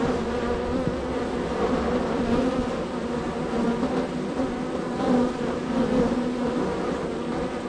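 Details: Heavy traffic at a honey bee hive in a row of hives, bees very active on the day; steady, low, layered droning with faint rising whines as individual bees pass close.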